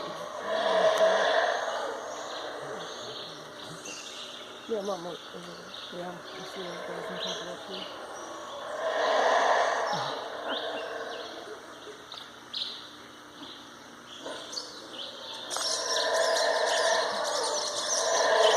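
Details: Howler monkeys at Chaa Creek, Belize, give deep, rasping roars in long surging bouts, with human voices in between.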